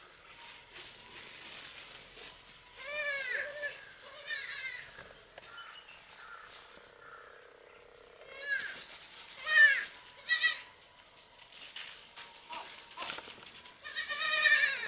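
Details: Baby goats playing and jumping on a farm give several wavering, quavering bleats, some rising then falling, spaced irregularly over a steady rustling and clattering background.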